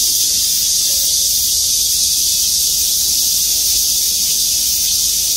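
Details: Cicadas in trees at the Gwangmyeong City Hall parking lot singing together, an even, piercing wall of high hissing buzz with no pauses across the whole stretch.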